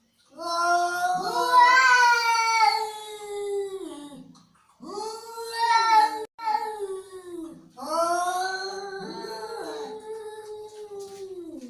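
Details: Angry cat yowling in long, drawn-out wavering wails, three extended cries with short gaps between them, the pitch sliding up and down within each moaning call.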